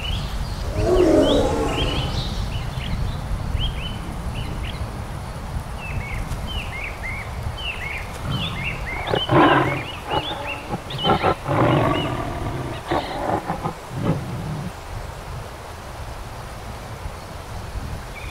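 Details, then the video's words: Bengal tigers in the Sundarbans mangrove forest of India: a deep roaring burst early on, then rough, pulsed growls in the middle, beneath a busy chorus of high, chirping birds. "BENGAL TIGERS OF SUNDARBANS MANGROVE INDIA ROAR"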